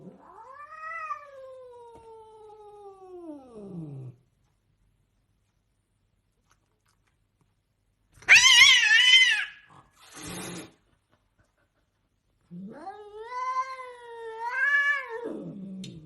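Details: A domestic cat gives long drawn-out meows: a wavering, falling one lasting about four seconds, then harsh loud cries, then another long rising-and-falling meow near the end, separated by silences.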